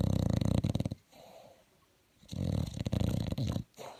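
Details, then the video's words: Bulldog snoring in its sleep: a deep, rattling snore with a pulsing texture, a quiet inhale-like lull, then another long growly snore. "un bulldog qui ronfle"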